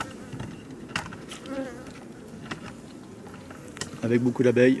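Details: Honey bees from a drone-laying hive, their frames shaken out about fifty metres from the apiary. A low, steady droning hum fills most of the stretch, with brief clicks, then a louder burst of voice-like harmonic sound at the end.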